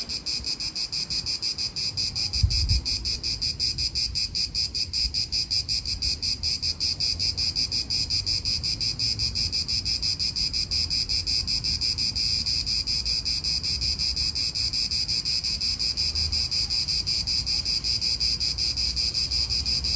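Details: Chorus of cicadas in an Italian park: continuous shrill buzzing pulsed several times a second, with soft low rumble of wind and distant cars underneath.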